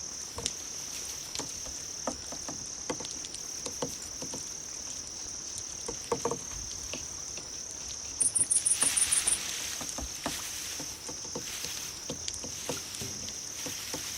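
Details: Crickets, offered as insect sounds to attract and please cats: a steady high continuous trill runs throughout, a brief rapid pulsed chirp burst comes near the middle, and scattered soft clicks and taps are heard.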